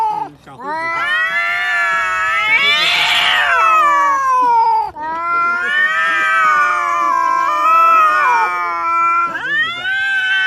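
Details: Domestic kitten indoors yowling in long, loud, harmonic-rich meows that swell and bend in pitch, two sustained wails of several seconds each and a rising cry at the close.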